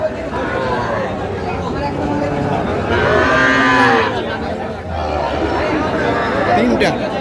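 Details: Sahiwal calves and bulls for sale at Ambari market, 18 August 2025: one loud, long, wavering moo swells in the middle, with fainter lowing around it and a steady hum of people talking.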